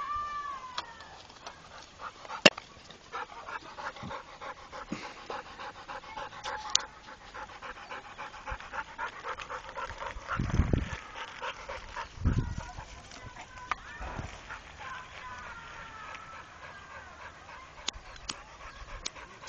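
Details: Trained Pit Bull named Rako breathing in quick, regular breathy pulses through much of the recording, with faint thin tonal whines, a few sharp clicks and two low thumping bursts near the middle.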